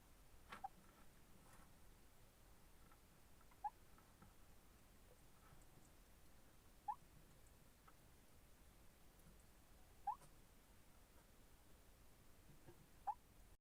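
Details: Hedgehog snoring in its sleep: soft, high, upward-sliding squeaks recurring roughly every three seconds, with faint rustles and a low room hiss between them.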